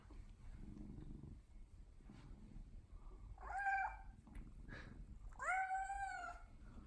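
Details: Odeko, a pet cat, meowing as if trying to tell something: after a quiet start with soft low rumbling, two clear, drawn-out harmonic meows about two seconds apart, the second louder and slightly rising.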